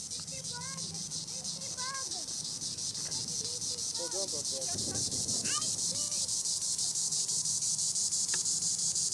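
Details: Green annual cicada, Tibicen linnei, singing in the treetops: a loud, steady high buzz pulsing about three times a second, with scattered short chirping and squeaky calls from other animals beneath it during the first six seconds.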